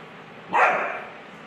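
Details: A Rottweiler puppy gives one abrupt, rough bark at a bucket, which stops quickly and leaves faint background hiss.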